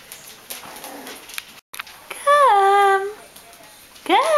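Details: Bichon Frisé puppies aged five weeks and two days, from a litter of five; one loud, high whine slides downward over about a second, and a second rising whine starts near the end, after faint background rustling.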